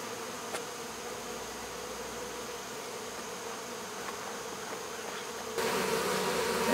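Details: Honey bees of a swarm removed from local baseball fields, August 2014, droning steadily in their new box; the hum continues evenly until a louder rush of handling noise covers the final second.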